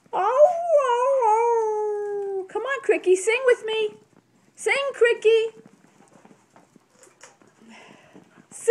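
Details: Brussels Griffon singing along with its owner, getting excited: an opening sliding howl followed by rapid choppy yelping bursts, then fading to quiet indoor sounds, with a person singing along.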